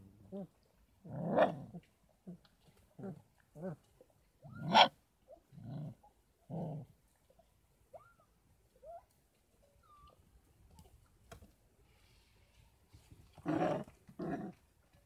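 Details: 33-day-old Kangal puppies at a Kangal dog farm, raised on goat milk and infant formula alongside their mother's milk: scattered short growly yelps and grunts in bursts, a few thin rising whines in between, then a louder double yelp near the end.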